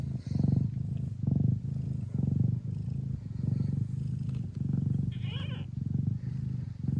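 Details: Classic Siamese mother Mia purring strongly while her hungry kittens feed, Netherlands; deep throbbing purr in roughly one-second pulses, with a brief high thin kitten squeak near the end and soft rustling.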